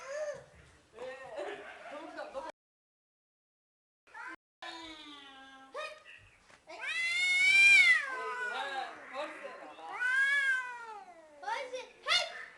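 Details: One of two domestic cats gives loud, drawn-out meows, each rising then falling in pitch, with two long cries close together near the middle, while people talk nearby and coax the cats to meow.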